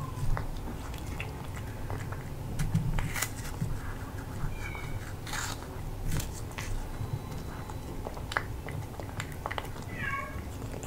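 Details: British Shorthair cat eating crispy freeze-dried chicken breast from a new glass bowl indoors, sharp crunching bites scattered irregularly throughout, with soft chewing between them in a quiet small room.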